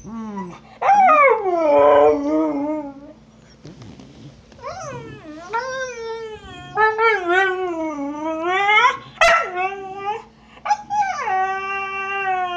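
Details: Snow, a husky, vocalises her complaint about a bone taken by Trixie, an Australian Cattle Dog; varied yodelling howls bend up and down in short phrases, with a faint low growl and a brief voice in the background.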